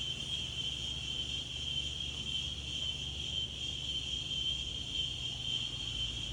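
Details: Daytime insect chorus outdoors, a continuous piercing high whine holding one pitch without pause, backed by a faint low wind rumble.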